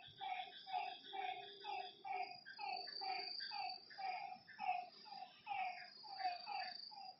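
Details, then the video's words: Lakeside frogs at night give evenly paced, harmonic croaks roughly once per second, layered over a steady high-pitched insect trill that brightens midway. "Lakeside night creatures and frog sounds"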